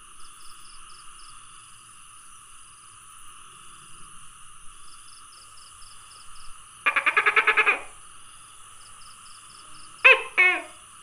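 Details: Tokay gecko calling on 27 May 2020: a sudden rapid rattle of about eight pulses, then after a pause two loud, harsh, harmonic barking notes close together, all over a steady high insect drone and faint pulsed insect chirps.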